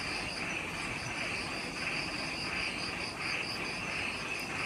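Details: Just after sunset in the forest of Ishigaki Island, Okinawa, Japan, many insects sing at once: a constant shrill ringing on top, with beaded pulses repeating roughly one and a half times per second and faint low background rumble.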